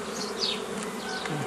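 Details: Dense hum of honey bees at hives being split into nuclei from a forager swarm, 15 May 2018; even droning buzz with one sharp whine of a bee flying by.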